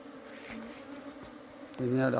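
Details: Summer hive cleaning, honey bees giving a continuous low hum, with a man's Malayalam speech cutting in loudly near the end.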